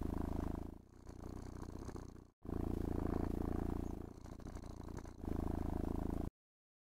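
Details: Pet cat purring with pleasure during brushing and stroking; a low, vibrating rumble with a pulsing rhythm, interrupted by a short silent break before resuming and fading out.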